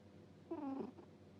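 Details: A sleeping cat lets out one short, squeaky "puu" snore, a thin whistled tone lasting under half a second that dips slightly in pitch, heard in a quiet room.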